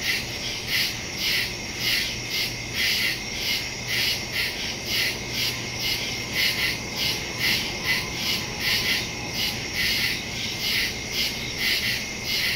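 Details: Woodland crickets at night on September 2, 2023, recorded by phone and stereo microphone; dense rhythmic chirping, high and bright, beating steadily with many callers overlapping into a continuous trill.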